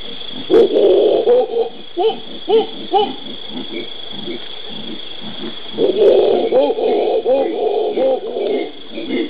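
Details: Howler monkeys (Alouatta) in the Brazilian Pantanal, recorded 13 January 2011, give deep, throaty roars in pulsing bursts that swell into a rolling chorus; loud calls aided by an enlarged hyoid bone.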